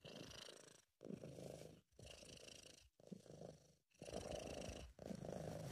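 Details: Happy, relaxed British Shorthair cat purring up close, loud rumbling bursts about one second long separated by short quiet breaths, some faint higher hiss above.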